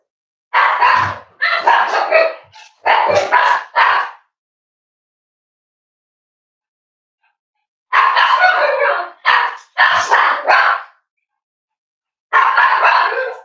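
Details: Cavalier King Charles Spaniel at Red Barn Cavaliers, indoors in a kitchen during a livestream with puppies and adult dogs; bursts of sharp, harsh barks in two groups of about four, separated by several seconds of quiet, then one more bark.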